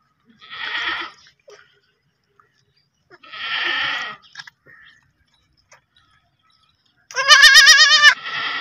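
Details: Baby goats bleating: three separate calls, the last one loud and quavering with a wavering, vibrato-like tremble, the others softer and breathier, separated by short silences.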